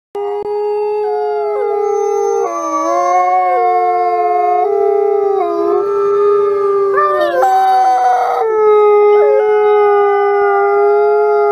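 Several wolves howl together in long, smooth, overlapping tones that bend and slide in pitch.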